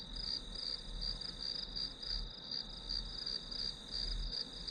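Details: Short stretch of grass insect chirping played as study white noise, a shrill continuous ringing with a slower, swelling pulse and a faint low droning hum underneath.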